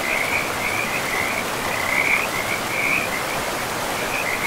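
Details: Frogs calling beside a river deep in a pristine, moss-covered forest: a steady run of short, high, trilling croaks pulses almost without pause, set against the constant broad hiss of flowing water.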